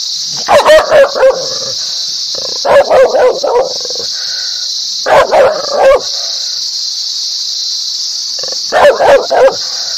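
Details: Dog barking loudly, described as happy, aggressive and angry: four bursts of three or four quick sharp barks spaced a few seconds apart, with a steady high hiss throughout.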